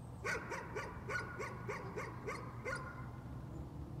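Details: Dog barking as a nuisance, about ten short sharp barks in rapid succession over nearly three seconds, then falling quiet over a low background hum.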